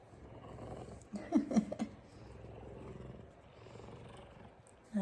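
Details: Purring from a big F2 Savannah cat, a male that shows affection by headbutting; a continuous deep, throbbing rumble, briefly overlaid by a woman's voice calling him close in the first half.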